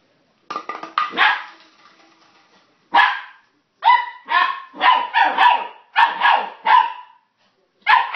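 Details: Puppy barking excitedly while playing with plastic bottles: sharp, bright yaps with a tonal centre, a rapid burst followed by a pause, then a run of six evenly spaced barks about every half second.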